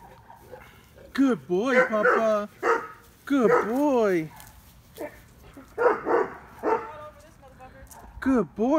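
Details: Mayan, an 8-week-old Neapolitan Mastiff puppy, barks on guard at night on 26 July 2019, mistaking his mother at the back of the yard for a stranger. Phone recording: bursts of rising-falling, harmonic barks, with a person talking over them.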